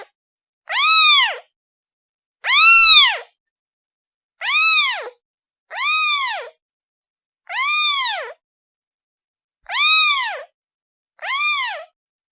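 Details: Kitten meowing for its mother: seven loud, drawn-out mews with a rise-and-fall shape, evenly spaced about one and a half seconds apart, nothing else audible.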